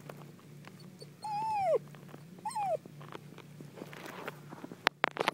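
A dachshund gives two high, drawn-out yelping barks that slide downward in pitch.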